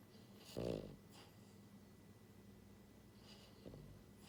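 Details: Pied female French Bulldog puppy, born January 2022, sleeping indoors with heavy snoring; one loud, rattling snore early on, then quiet breathing and a faint second snort near the end over a low background hum.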